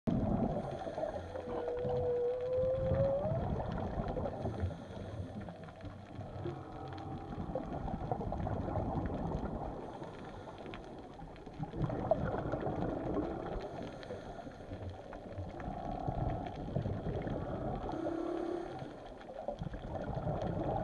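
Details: Whales recorded undersea: a smooth rising moan glides upward early on, followed by fainter drawn-out tones, all over a steady low rumble and gurgling of water.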